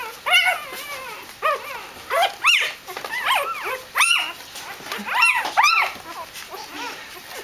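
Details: Excited Dobermann puppies meeting their beloved mother Jessica after her walk, giving rapid arched yelps and short barking cries in bursts, sharp rising-falling notes repeated about every half second.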